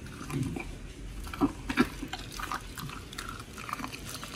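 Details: Raw-fed pit bulls Oli and Nommy eat giant white snapper, recorded October 21, 2023. Low, soft gnawing gives way to two heavier biting crunches near the middle, then lighter wet chewing.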